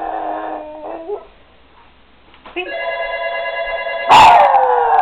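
A Boston Terrier howls in drawn-out, wavering tones, joined by the steady chime of a ringing phone.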